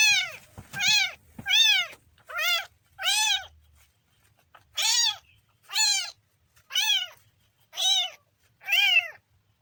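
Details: Kitten giving a rapid run of ten short, arched meows, roughly one per second, high and bright with rising-then-falling tone, a couple of soft knocks near the start and otherwise quiet background.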